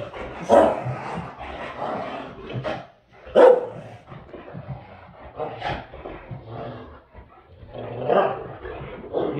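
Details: A Great Dane, irritated by a companion who aggravates him, lets out two sharp, loud barks about three seconds apart amid lower rumbling dog noises, with a person talking over much of the recording.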